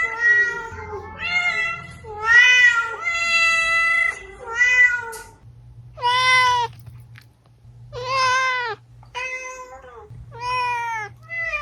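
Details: Domestic cat meows played to lure cats: a series of short and medium meows, some quick and clustered early, then separate arched calls every second or two over a low hum.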